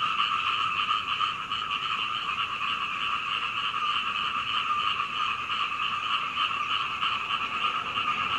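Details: Frogs croaking all night until daybreak in Hunei, Kaohsiung, Taiwan, recorded from an upstairs window at home on a Canon PowerShot SX720HS; many callers merge into a thick, pulsing chorus, roughly three croaks per second.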